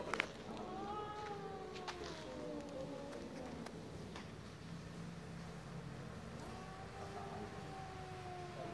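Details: Cats mating in broad daylight: a drawn-out, wavering wail that slowly falls in pitch over a few seconds, then a second long yowl near the end, over a steady low background hum.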